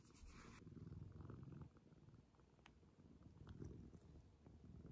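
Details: Indoor purring from Maroshiro, a domestic cat rescued in 2014, now clingy and kitten-like in an upstairs cat room; a dense, low rumbling purr fills the whole stretch, slightly stronger at the start.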